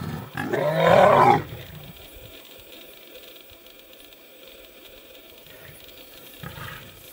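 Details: Lioness confronting nomadic male lions to protect her cubs: one loud, harsh roar lasting about a second, then quiet background with a faint snarl near the end.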